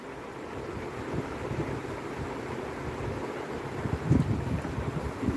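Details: Wind buffets the microphone over a low rumble, with a brief thump near the end and no animal sound.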